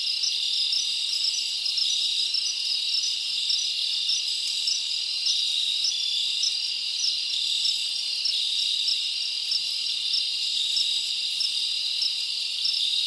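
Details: Many crickets chirping at night in summer forest, a continuous shrill buzzing chorus overlaid by distinct pulsed chirps repeating regularly about every half second, loudness steady with slight flickers.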